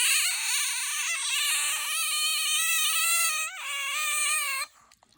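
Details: Pet otter letting out one long, continuous, shrill squeal of about five seconds, rich in wavering overtones, held at a steady high pitch with a slight dip partway through, indoors.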